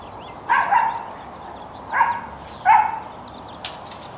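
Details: Short-coated Chihuahua held for adoption; three short yelping barks at roughly 0.5, 2 and 2.7 seconds, each with a brief tonal whine, between them only a steady low hiss.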